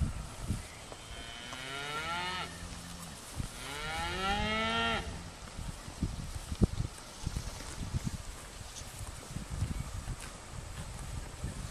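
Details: Cattle grazing outdoors: two drawn-out moos about a second and a half each, gliding up then down, followed by soft low thumps, rustling and tearing sounds of feeding, with faint background noise.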